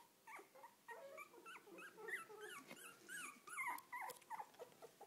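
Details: Puppies with their mother dog, squealing and whimpering busily: high, arched squeaks that rise and fall, several per second and often overlapping, each short and thin, forming a constant excited chorus.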